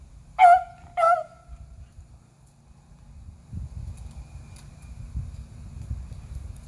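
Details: Three beagles hunting squirrels in April give two sharp, tonal baying barks close together, then fall silent as low rumbling and faint rustling outdoor noise carry on.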